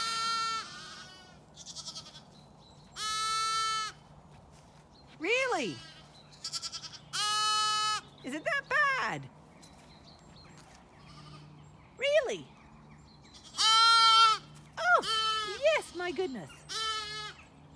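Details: A young Zwartbles lamb on a farm in County Kilkenny, Ireland bleats repeatedly in high, quavering calls, searching for its mother while the ewes feed and ignore their young.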